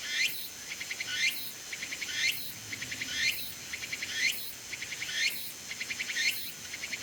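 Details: Tsukutsuku-bōshi cicada on a persimmon tree at summer's end; steady cycle of rising buzzy swells and short chattering pulse trains, close to one phrase per second, sustained through the whole stretch.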